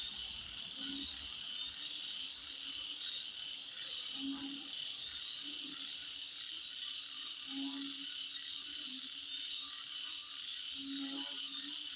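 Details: Insects calling at midnight: a dense, steady high-pitched trilling chorus fills the night without pause. Short low croaking notes sound at intervals beneath it, and fainter chirps appear higher up.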